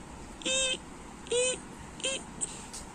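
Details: Domestic cat meowing indoors: three short, level meows about 0.3 seconds each, spaced roughly every 0.8 seconds, with a faint chirp after, over a low background hum.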